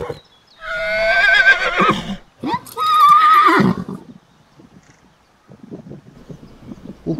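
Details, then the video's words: Foal, a horse under thirty months old, neighing twice in quick succession: a wavering, shaky whinny and then a steadier held tone ending roughly, followed by soft scuffing and rustling. "COLT SOUNDS - Colt Neighing - Baby Horses"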